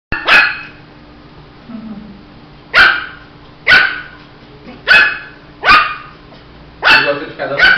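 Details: Shih Tzu puppy barking: six sharp, high, yappy barks spaced one to two seconds apart, with a faint steady hum in the background and a voice speaking just afterwards.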